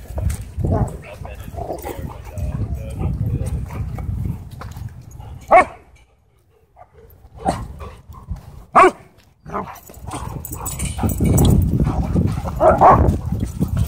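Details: Dogs turning aggressive at a dog park: short sharp barks break out in separate bursts between quieter stretches, over human voices and a low rumble of outdoor noise.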